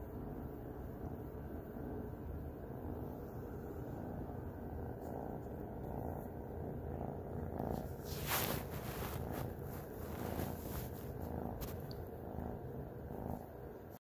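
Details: Snuggling pet cat giving a continuous low, rumbling purr at an even level, with a brief rustling burst around the middle and a few soft clicks.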